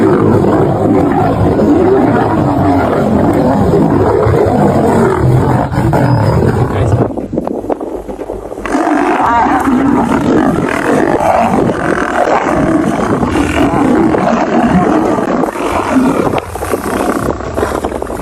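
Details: Lions fighting as a male defends a female; loud grinding growls and snarls, a brief drop in intensity mid-way, then renewed harsh, continuous roaring and snarling.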